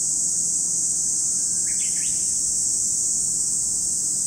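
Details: High continuous buzzing of cicadas at Lake Kamo, Sado City, Niigata Prefecture, Japan, with a brief chirping bird phrase near the middle over the unchanging drone.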